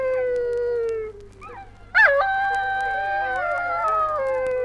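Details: Dingo howls on a 1968 Australian wildlife recording: a sustained falling tone, a short pause, then a sharp upward yelp into a long, steady, harmonically rich howl with a second voice joining near the end.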